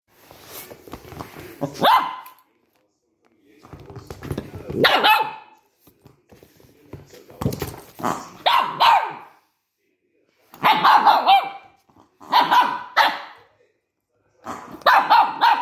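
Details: Cookie, a Maltese dog, scared of a new toy on first play, gives short sharp barks in bursts roughly every one to two seconds, with quieter scuffling and rustling between them.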